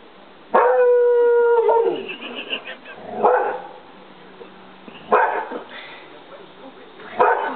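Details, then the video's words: English Springer Spaniel howling: a steady, clear tonal note held about a second, followed by several rough barks spaced a couple of seconds apart. "english springer howling"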